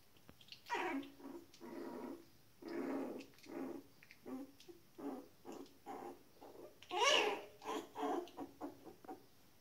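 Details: Shetland Sheepdog puppies, 19 days old, make a series of soft, low-level squeaks and grunting whines in short separate bursts, one louder higher squeal near the end.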